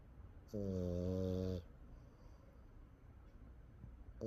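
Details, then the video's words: French Bulldog asleep and snoring hard enough to make a back resonate: a single deep, buzzy, drawn-out snore lasting about a second, followed by quiet breathing in a small room. "애견 코골이 덕분에 등이 울린다."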